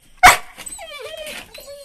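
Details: Labrador Retriever puppy, tied up and thinking it is getting left behind before its first leash walk, gives a sharp yip followed by drawn-out, falling whines.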